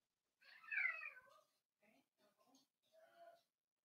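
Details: Four-week-old Cavalier King Charles Spaniel puppies in an indoor puppy pen, meeting adult dogs and trying puppy mash: a high, falling, strained whimper, then a few short soft squeaks and a final brief whine.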